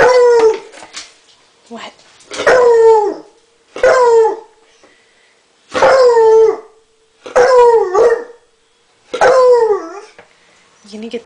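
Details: Female hound dog indoors baying at a turtle, trying to get it to play, pouncing at it: six loud drawn-out bays, each sliding downward, repeated roughly every two seconds, with a person's voice urging her on.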